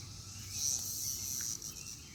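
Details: Cicadas give a loud, continuous high-pitched buzz that swells briefly in the middle and then holds steady, with a faint bird note and low background rumble.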